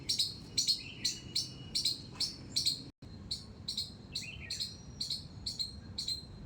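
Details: High, piercing squirrel squeaks from a flowering terrace garden, repeated roughly twice a second with a brief gap midway, each note an abrupt clipped chip; a soft higher whistle slides in near the end.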